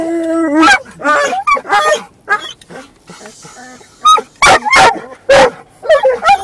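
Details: One dog barks funnily in a car while another moves around: a steady whine opens, then choppy yips, a quieter stretch, and several loud abrupt barks spaced under a second apart.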